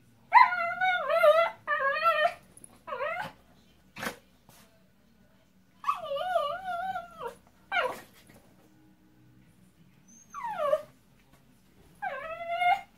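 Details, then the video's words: Miniature Pinscher named Caspi, soaked after rain and enjoying being towelled dry, lets out loud, wobbling, drawn-out whines and yelps in irregular bursts, some rising and falling, separated by quiet pauses and a sharp click. "Zwergpinscher Caspi nach dem Regen"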